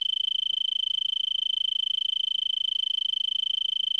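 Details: Arizona tree cricket in a brittlebush at Vail, Arizona, late December afternoon around 70 degrees F; high continuous trill with quick regular pulsing, slightly softer, faint low rumble beneath.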